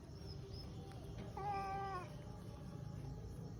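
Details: Pet cat indoors, being handled and dressed in clothes by its owner before being taken to eat meat; one clear, steady half-second meow over low household noise.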